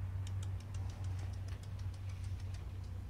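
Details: A low idling engine hums steadily, with a light ticking patter running through it and no animal voice.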